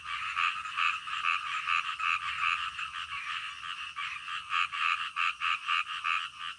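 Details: Midnight frog croaking, calm night sounds: steady rhythmic croaks, about two per second, with overlapping callers, growing more distinct and evenly spaced toward the end.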